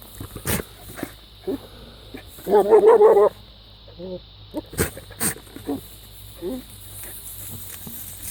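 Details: A goat giving bizarre noises: one loud, strained, wavering bleat lasting almost a second, with a few softer short calls around it. Scattered sharp knocks are heard throughout.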